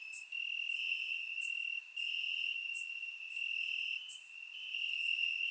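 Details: Grass-dwelling crickets calling at night during warm Bulgarian summer, surround-mic recording; an unbroken shrill trill dominates while quick bright chirps pop out about once per second, volume pulsing slightly.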